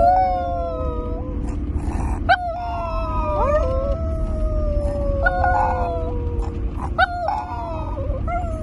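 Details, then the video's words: Chihuahua howling with its owner during a morning ride home: wavering, drawn-out tones gliding gently downward, each starting with a quick upward swoop, over a constant low car rumble. "The Cutest Howling Chihuahua"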